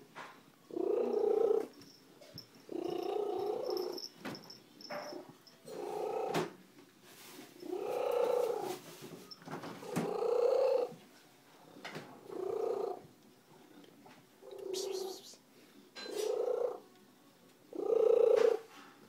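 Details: Loud purring from Slugo, a female domestic cat kept as a pet after turning up at the roadside: steady rumbling pulses about a second long, repeated roughly every one to two seconds in a quiet room.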